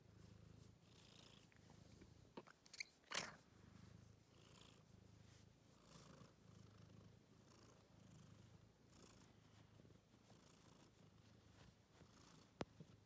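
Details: Kitten wearing a scarf purring steadily, a low rumbling drone with soft rhythmic pulses throughout, broken by a sharp click-like burst around the third second and a faint tick near the end.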